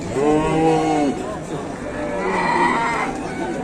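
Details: At a busy cattle market, a super jumbo fattened bull gives a rich, harmonic moo lasting about a second, then a higher, drawn-out second moo follows, while buyers and sellers talk and haggle nearby.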